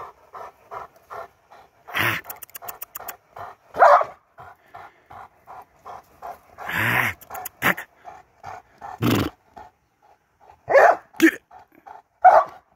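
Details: Panting Presa Canario, 19-month-old Lenny Mclean, breathing in fast even puffs broken by louder snorting bursts and clattering noises, a voice briefly saying good.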